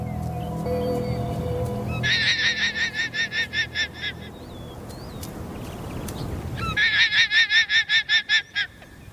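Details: A guanaco, likely on the open plains of Chile, gives two bursts of rapid, high, stuttering bleats after spotting puma cubs on a clumsy hunt: an alarm call warning other guanacos nearby of the predator.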